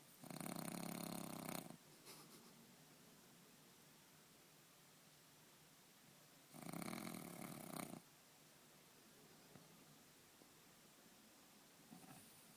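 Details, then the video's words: Indoor French bulldog sleeping soundly on a bed: two loud, raspy inhaled snores with a fluttering rattle, roughly six seconds apart, with quiet breathing and small soft noises between them. "French bulldog snoring"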